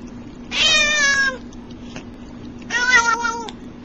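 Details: Cat giving two long, wavering meows, the second slightly higher and more strained, separated by a short pause, with a constant low hum in the room.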